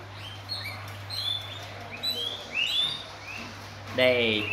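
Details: Pet guinea pigs eating guava produce scattered high whistled squeaks that rise in pitch, a few per second, before a human voice cuts in near the end over a faint constant hum.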